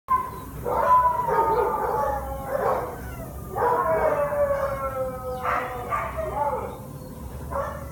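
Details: Shelter dog, a spayed female tan and white Chihuahua and Doberman Pinscher mix about one year three months old, gives drawn-out wavering howls in several long phrases, each sliding slightly downward, with short pauses between.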